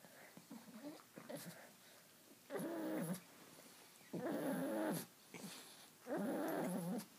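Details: Pet dog making a funny noise indoors: three drawn-out, wavering harmonic moans about a second long each, separated by short pauses, with softer grunting sounds before them.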